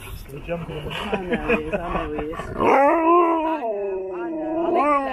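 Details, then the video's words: Happy Husky talking to strangers and being given biscuits: after a short run of broken, chattering vocal sounds, a long wavering howl-like 'talk' with rising and falling pitch sweeps through two drawn-out phrases, ending on a lifted note. "Happy Husky talks to strangers"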